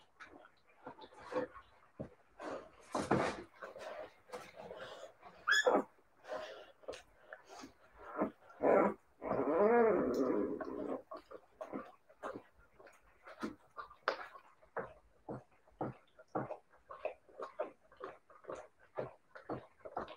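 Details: Siberian Husky puppies: a rapid, uneven stream of short yaps and snuffling grunts, broken by a longer rough growl-whine about halfway through, then more quick yips.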